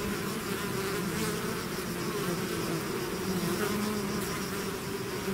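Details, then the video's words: A swarm of bees, out of its hive, gives a constant, dense low hum with no pauses, many wingbeats blending into one droning wall of sound. "bees therapy swarm natural buzzing sound"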